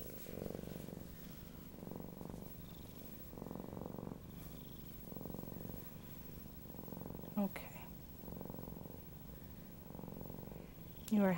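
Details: Pet Siamese cat Dory purring indoors in regular low rhythmic bursts, each lasting about a second and repeating steadily, with a soft human voice briefly heard near the middle and end.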